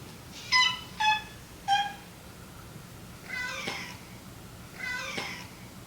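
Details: Domestic cat Meonji, kept indoors during a slow, step-by-step introduction to the other household cats, gives three short, clear harmonic meows within two seconds, then two longer, rougher calls after a pause; faint room hum beneath.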